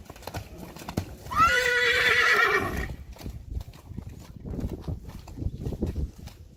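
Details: Two 2-year-old Friesian horse colts playing in the mud, filmed March 3, 2020. One loud, wavering whinny lasts about one and a half seconds, then trails off. Squelching hoof steps and splashing mud sound before and after.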